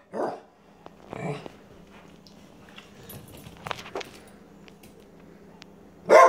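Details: Pet dog barking repeatedly because she wants something and is annoyed at not being understood; a few short sharp barks at the start and a loud bark at the end, with quiet room sounds between.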